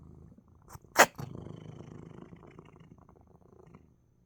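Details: Sick but relaxed, pet cat Coco lets out a sharp sneeze, followed by a soft, low rhythmic purr that fades gradually toward the end.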